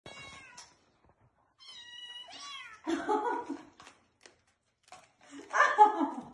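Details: Hungry kittens climbing onto their mother for food: thin, high mews with stacked overtones, short then drawn-out and falling, followed by two louder, lower, rougher cries in a small indoor space.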